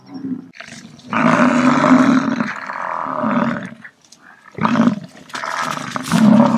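An American bison gives long, deep, rumbling roars, two drawn-out bellows with a short pause between.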